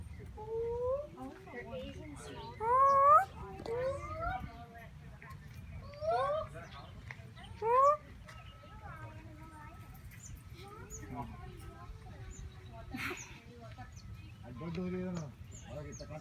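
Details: A gibbon kept at Tiger World, North Carolina, calls with rising, sliding whoops in a cluster during the first eight seconds, each swooping upward; later only murmuring voices and background noise.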